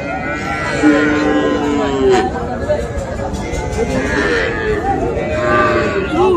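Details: Small bull and heifer calves, Sahiwal breed, being sold at a Comilla market in Bangladesh on 13 September; several nasal, rising-then-falling moos in quick succession amid constant human chatter and market noise.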